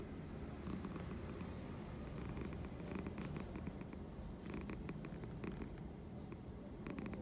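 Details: Loud purring from a domestic cat, a low continuous rumble throughout with steady pulsing, plus faint intermittent clicks and rustles.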